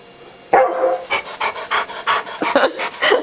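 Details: A hungry older dog asks to be fed with a quick series of breathy yips and huffs, roughly seven rhythmic bursts after a sudden start, indoors with his owner.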